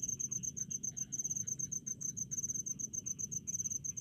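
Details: Crickets in rice fields chirp in high, bright pulsed bursts, about three clusters a second. Softer, lower rattling notes and a low rumble sit beneath.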